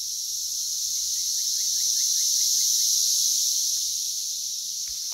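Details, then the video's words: Brood X periodical cicadas in June 2021, West Virginia, loud and abundant at about 85 dB: steady high shrill chorus, with a small bird's quick series of short chirps rising through it early on. "Brood X Cicadas - Loud and plentiful"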